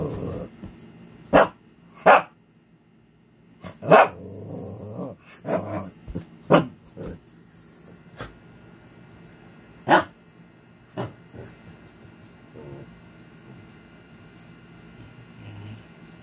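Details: An angry Shih Tzu gives sharp, irregular barks broken by low, rumbling growls.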